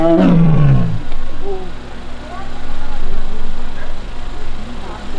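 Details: A single falling, nasal moan opens the recording, followed by a low, steady hum. It comes from Taebeom, a young Korean tiger at Baekdudaegan National Arboretum's tiger forest in South Korea, filmed August 1 while annoyed at losing a mat.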